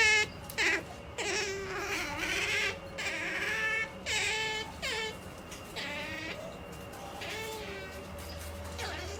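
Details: Female otter MaiJi making a pampered noise while about to sleep. Short wavering whines and squeaks come in quick bursts, some bending down then up in pitch, with brief pauses between them in a quiet indoor setting.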